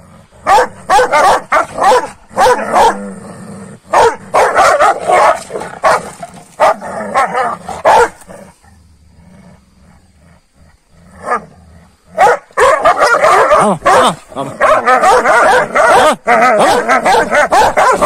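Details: Kangals squabbling with each other in the morning after being fed a road-killed rabbit overnight: dense bursts of harsh barking and snarling, a quieter lull midway, then renewed rapid aggressive barking.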